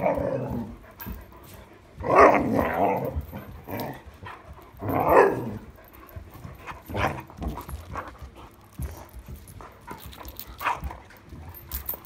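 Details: During a night play session with a new toy, 26 July 2022, an Irish Setter lets out two loud, harsh bark-growls about three seconds apart, followed by softer grumbles and scattered handling noises.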